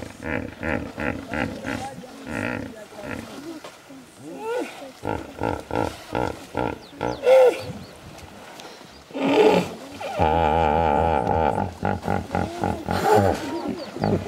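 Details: Hippopotamuses at a large hippo pool in the Serengeti: deep, buzzy grunting honks in rapid pulsed bursts, several series separated by short pauses, with a louder drawn-out blast near the end; human voices are heard faintly.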